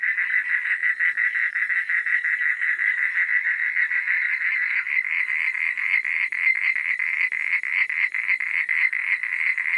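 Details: Night chorus of frogs: a loud, rapid, rattling croak sustained throughout, individual pulses faintly audible within the mass, with quiet high insect buzzing in the background.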